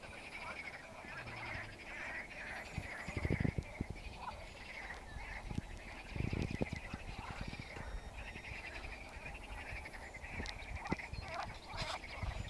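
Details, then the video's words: Many frogs call together in a lake in a steady, buzzing chorus, with a few low thumps and knocks. "Frogs singing in the lake"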